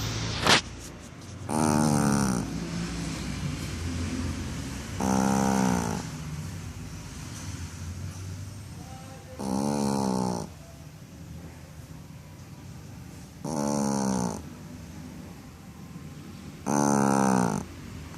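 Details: A Shih Tzu snores after a bath in slow, rasping breaths, each lasting about a second and repeating every few seconds.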